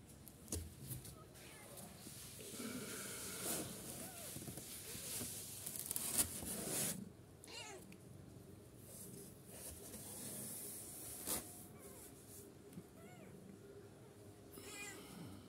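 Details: Kittens aged 9 to 14 days give faint, scattered thin mews with rising-falling pitch, half-buried in indoor rustling and handling noise, with a brief louder knock near the middle.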